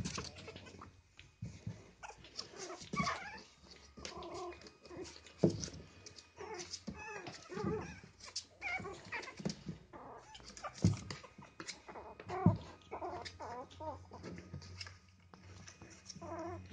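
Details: Three baby Chihuahua puppies playing together in a box indoors: a dense stream of high, wavering whines, squeaky yips and small growls overlapping throughout, with a steady low hum beneath.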